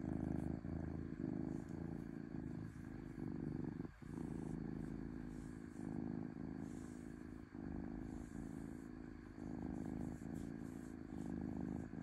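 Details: Domestic cat purring smoothly: a low, steady rumble that swells and eases in breath-length pulses about once a second, with a brief deeper gap near four seconds.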